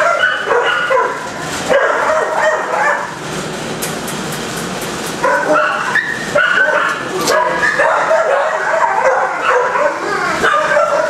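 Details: Kennel dogs barking and yelping together, a steady chorus that thins briefly near the middle before swelling again, with some sharp clanks among the barks.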